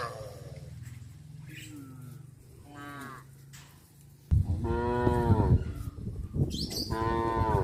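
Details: Herd of cows driven back to the pen past a fish pond, a low droning hum at first with softer moos, then loud, rich harmonic lowing from about the middle onward, several calls overlapping.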